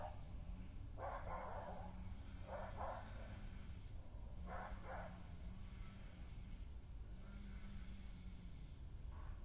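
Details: Intruder badger growls at resident female Hattie as she drives it from her patch after ground scraping, 20 May 2018; a steady low droning growl runs throughout, broken by paired harsh yelping bursts.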